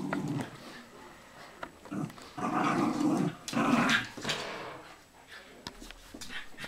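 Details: Playful growling from Bichon Frise dogs, the pets Blanca, Teddy, Hope and Pretty: a low rolling growl that swells in the middle for about two seconds, then fades to quieter snuffling and soft whimpers.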